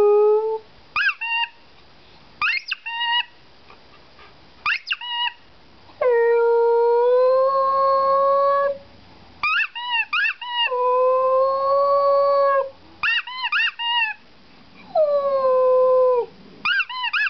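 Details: Dog 'singing' with long drawn-out howls that slowly rise and hold for two to three seconds, separated by clusters of short, sharp yelping notes.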